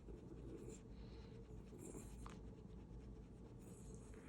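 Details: A rescued dog growls in a low, steady rumble, with soft rustling and scratching close by, while its owner puts pajamas on it because it gets cold under the air conditioning.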